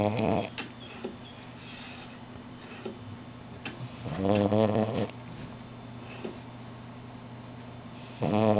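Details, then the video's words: French Bulldog snoring during an afternoon nap indoors: three rasping, harmonic snore bursts, each about half a second to a second long, separated by several seconds of quiet breathing; a steady low hum runs underneath. "schnarching like a human - French Bulldog"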